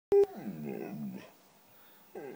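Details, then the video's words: White female Siberian Husky 'talking' because she wants cheese doodles: a sharp click opens a drawn-out, wavering, moaning whine lasting about a second, then a pause before a new whine begins. "Husky Talking"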